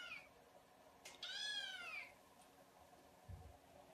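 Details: A single clear kitten meow, high and slightly falling, preceded by a short click and followed by a soft low thump.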